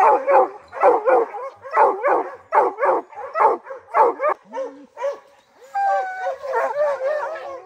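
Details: Rocky, a hound on his first black bear training season opening day, July 2024; evenly spaced loud barks about once per second, then a short whine and a higher drawn-out bawling howl at the end.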